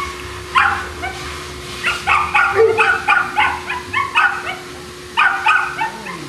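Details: Boston Terriers kept at a kennel in Jamundí, Cali, Colombia, give a rapid run of sharp, evenly spaced barks, about two per second, then a short pause before another couple of yaps. A low background hum is present.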